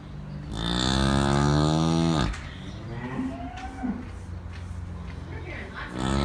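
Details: Farm cow giving one long, deep, steady moo of almost two seconds that ends abruptly, followed by quieter indistinct sounds and faint voices.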